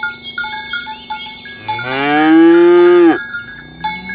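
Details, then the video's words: Tame cows herded in the morning toward the pen along village roads, calling companions to gather: one long loud moo lasting about a second and a half, rising then falling away, over steady clinking cowbells. "Suara sapi lembu berkeliaran di ladang rumput hijau memanggil kawan untuk berkumpul - Bunyi sapi"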